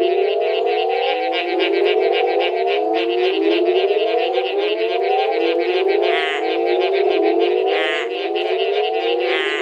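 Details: Mexican burrowing toads (Rhinophrynus dorsalis), which inflate their throats to call, give loud, low, moaning calls that rise in pitch and repeat in a steady stream.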